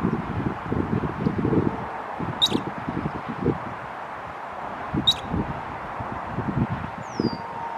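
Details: Tail-flipping squirrel delivering two short, sharp high chirps roughly two and a half seconds apart amid low rustling noise; a thin falling whistle from another creature near the end.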